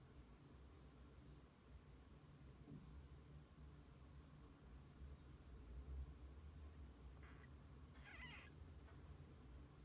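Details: Kittens spending the day with their mother cat indoors; after a long quiet stretch, two short, high mews sound close together near the end, over a steady low hum.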